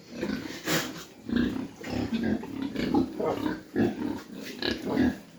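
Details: Mini pigs on a farm in Dimapur, Nagaland, India, giving low, short grunts in quick irregular bursts, several overlapping, with some higher squeaky notes and farm background noise.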